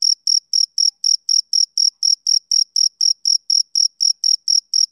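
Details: Summer-evening chirping of a male cricket: piercing high notes pulsing regularly near four per second, crisp and isolated against quiet.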